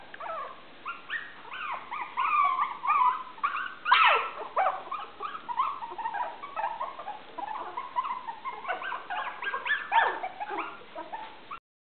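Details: Five Maltese puppies, 23 days old, calling together: a dense chorus of high, squeaky whimpers and yips with sharp rising and falling squeals overlapping continuously throughout, one louder squeal near the middle.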